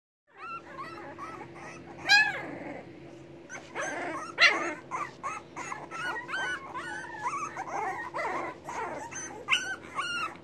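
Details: Hungry English Bulldog puppies waiting for their mother to come and feed them; a litter whimpers and yelps together in overlapping high, wavering cries, some rising and falling, with frequent short squeals throughout.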